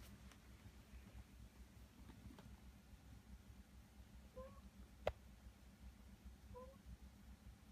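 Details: Rescued cats indoors in a quiet room, a resident rescue cat watching over a newly rescued kitten; two short, faint, high mews about two seconds apart, each slightly rising, over a steady low hum.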